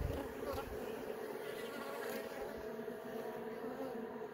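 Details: Inside an opened beehive, young honey bees emerging from their brood cells; a dense, steady hum with a clear mid-pitched buzzing tone throughout and a faint rustle at the start.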